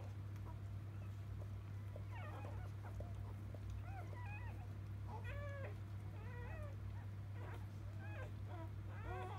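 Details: Field-type Labrador Retriever puppies squealing right after being born to biscuit, 2017 JFA Grand Champion; short arched, wavering whimpers repeat in quick bursts, several pups calling together above a constant low hum.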